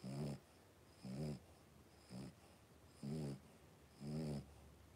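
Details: Blenheim Cavalier King Charles Spaniel puppies aged three weeks wrestle in their home pen, five in the litter; rhythmic deep snuffling grunts with stacked overtones come in five bursts, near one per second.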